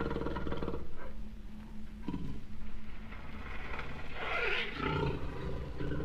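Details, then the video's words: Low, rumbling growls and hoarse roars from a jaguar in uneven bursts, with a harsher, rasping peak about two-thirds of the way through. "jaguar sounds vol 2"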